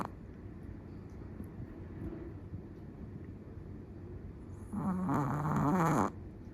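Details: Quiet room hiss for several seconds, then one loud, rough snore from a sleeping Chihuahua, a buzzing nasal rattle lasting about a second.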